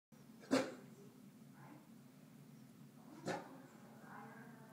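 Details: Bruno, a Neapolitan Mastiff, turns protective on seeing his own reflection in a mirror indoors: two short, sharp barks roughly three seconds apart, each followed by a softer huff, over a steady low hum.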